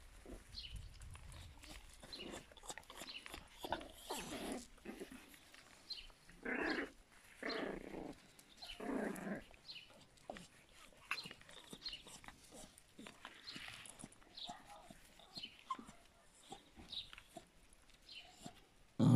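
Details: Several 51-day-old Yorkshire Terrier puppies give rough, breathy growls and whines in repeated bursts, loudest around the middle, over a background of scuffling and rustling.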